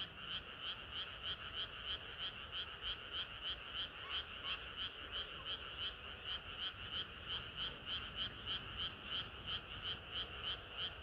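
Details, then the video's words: Frogs singing in a chorus on a hot summer night, a dense run of pulsed croaks repeated about three times a second in a steady rhythm, bright and high, with a constant low rumble underneath. "개구리들의 합창은 끝이 없어라"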